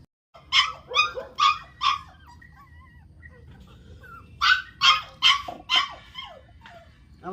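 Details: Newborn dachshund puppies at home, two bursts of four short squeaky yelping cries each, high and harmonic, with faint background hum and a person speaking Malayalam nearby.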